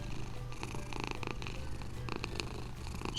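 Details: Domestic cat purring while being stroked: a faint, low, steady rumble underneath soft background noise and a few brief rustles.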